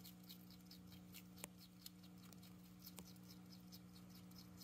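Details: Uni, a pet hedgehog, munches cabbage; soft, quick crunching clicks repeat in a steady rhythm several times a second, a few sharper snaps standing out, under a constant low hum.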